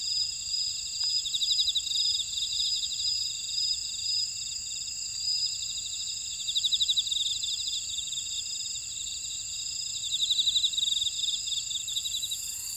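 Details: Insects singing in a Jeju buckwheat field, Ora-dong, South Korea: dense continuous high-pitched trilling in several bands, rhythmic pulsed chirp runs rising in loudness around six and ten seconds, otherwise an even rural night-like drone.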